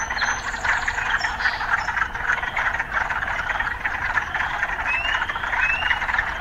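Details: Frogs in an urban setting with city sounds mixed in. A thick, continuous croaking chorus fills the scene, and a few rising whistled notes appear near the end over faint low rumbling.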